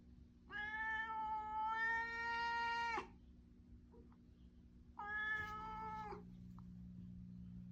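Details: Threatening yowls from a stray cat visiting a garden in Japan: a long, steady, nasal wail of about two and a half seconds, then after a pause a second shorter one, over a low steady background hum.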